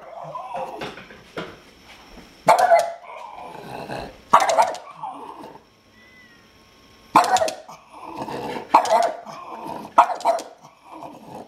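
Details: A 10-year-old Boston Terrier confronting a kitten indoors: short sharp barks and yips in bursts, some grouped two or three together, with quiet gaps between them.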